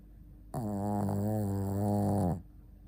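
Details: A single sustained snore from the sleeping Shih Tzu Ponta, nearly two seconds long, low and steady with a strong buzzing harmonic stack, set against quiet indoor hiss.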